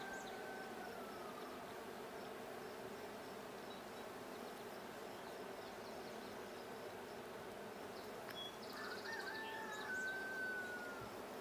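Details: Honey bee hive, the blue hive, opened for a check on 20 June 2022: a constant buzzing hum, with a long falling whistle early on and bird chirps plus gliding whistled tones toward the end.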